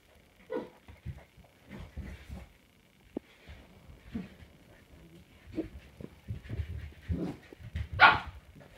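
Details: Samoyed puppies recorded on 7 April 2020, making short scattered yips and soft whimpers that come in small clusters, growing busier toward the end and finishing with one sharp, high-pitched yelp.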